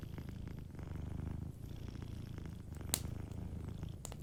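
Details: Gentle purring from a sleeping cat beside a cozy fireplace, a continuous deep pulsing rumble broken by occasional bright fire crackles, one prominent pop late on.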